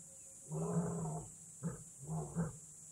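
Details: Harsh, throaty roaring from a lion in Kgalagadi Transfrontier Park: one long rasping roar, then a short burst and a double roar, against a quiet natural background.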